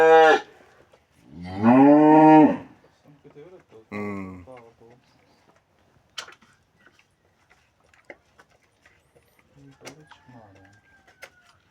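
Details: Cattle being treated by a vet removing metal objects from its stomach: a short call opens, then one strong, resonant moo lasting about a second, a briefer low call after it, and quiet clicks and handling noises for the rest.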